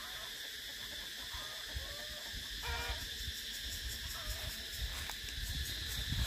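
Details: A continuous high metallic cicada drone runs throughout while short whistled bird-like notes and soft low rustling break in at intervals.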